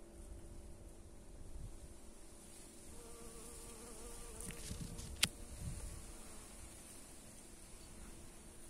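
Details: Western honey bee foraging for late pollen and pollinating Japanese anemone in the Netherlands; a steady low droning hum with faint harmonics swells for about two seconds midway, under gusting wind noise and a sharp click.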